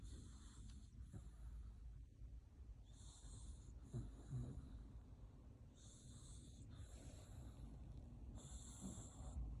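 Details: Sleeping dog snoring heavily, rough wheezy breaths repeating about every second or two, with bursts of hissing high noise recurring through the recording.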